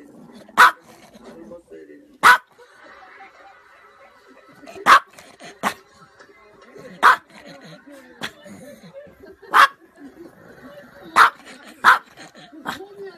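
A small Maltese dog gives sharp, high, single barks at irregular intervals while people talk nearby.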